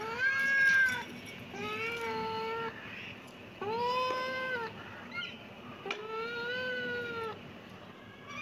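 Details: Four clear kitten meows in quick succession, each about a second long with a gently rising then falling pitch and bright harmonics, over a faint background hum.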